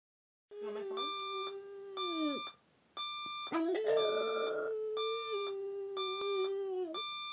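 A dog howls in long, steady, mid-pitched wails that sag at the end, against a beeping alarm clock.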